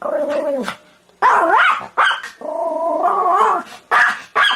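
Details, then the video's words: Begging dog producing long, wavering whine-howls that rise and fall in pitch, followed by a few sharp barks near the end. "SOUND OF DOG BAGGING BARKING DOG"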